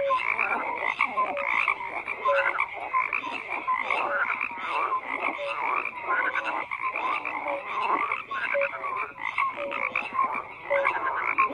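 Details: Many frogs croaking together in a dense, unbroken chorus: overlapping raspy croaks pulse several times a second, mixed with short whistled notes at different pitches. No other sounds stand out.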